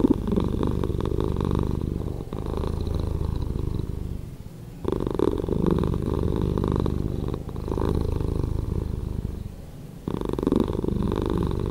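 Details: Cat purr slowed in editing: heavy low rumble in steady stretches, broken by a quieter gap near the middle and another before the end, each pause marking a breath.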